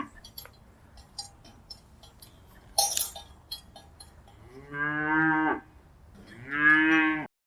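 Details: Cows in pastures and by rivers, two drawn-out harmonic moos in the second half, the last rising and louder, after quiet clinks and a brief noisy burst near three seconds.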